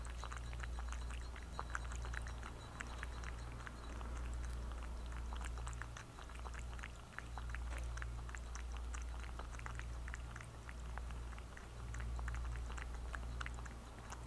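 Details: Thirsty cat drinking water, recorded up close for ASMR; soft, irregular lapping clicks run steadily throughout over a constant low electrical hum.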